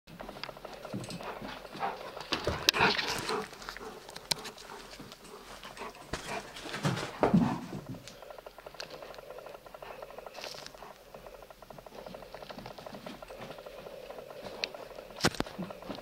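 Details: Pickwick, an Old English Sheepdog, plays with his toy Quackers, panting and huffing in quick uneven bursts with scuffling noises, louder flurries near the start and around the seventh second, then quieter breathing.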